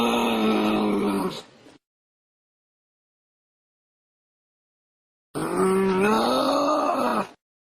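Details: Two long, nasal groans from a kangaroo cub, the second swelling and bending upward in pitch before falling, with a few seconds of silence between the calls.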